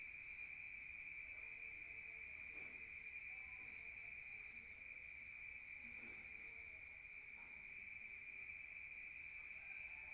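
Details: Crickets on a rural night, a steady high continuous trill holding one pitch without a break, with a fainter overtone above and faint scattered low sounds beneath.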